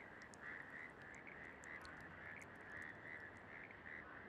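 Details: In Bogotá, Colombia, frogs croak from early morning in breeding season to attract a mate; many brief, same-pitched notes overlap in a continuous chorus, with light high-pitched ticking scattered above it.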